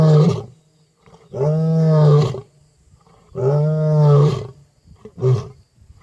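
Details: A wild lion roars into the night on an African safari in deep, rumbling bursts, each swelling and fading over about a second, roughly every two seconds, ending with a shorter grunt.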